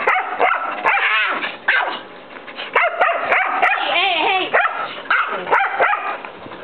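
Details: Year-old white mixed-breed dog barking at a friend's nine-year-old long-haired Chihuahua, trying to get it to socialize and play; rapid, high, harmonic barks and yips come in dense bursts, with short pauses between volleys.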